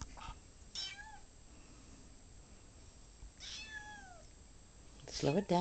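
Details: Ocicat at home on its first day, playing with a laser dot: two drawn-out meows that bend downward in pitch, separated by a few quiet seconds, followed by a loud rustling burst at the end.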